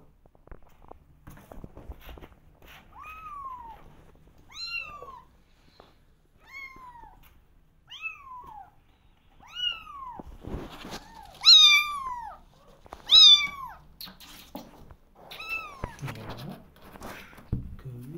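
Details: Kittens meowing to be let outside, eager to explore: a run of clear, falling meows repeated every second or two, some louder and overlapping near the middle, in a quiet indoor room with faint rustling.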